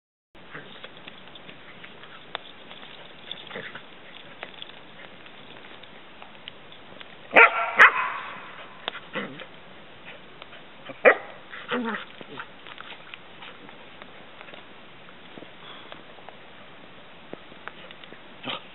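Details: A female Cardigan Welsh Corgi about a year old, on a summer camping trip near a boat, gives a few sharp barks that are loudest near the middle, with quiet stretches between.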